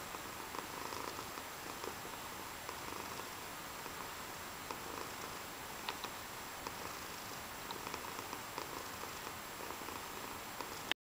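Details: Quiet, steady purring from a cat, a faint grainy rumble pulsing without pause for the whole stretch over a constant background hiss.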